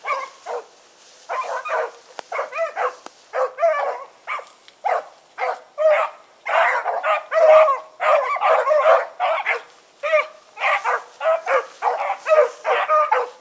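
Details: Four pack dogs named Choco, Dino, Johnny Ringo and Mingo running on an August 2014 evening, barking almost without pause, voices overlapping in dense choppy volleys that grow louder midway, faint high whine behind.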